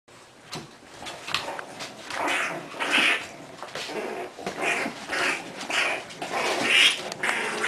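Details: Four English Bulldog puppies give squeaky yelps and rough little growls as they tussle in play, while an adult bulldog, Kona, referees their fights.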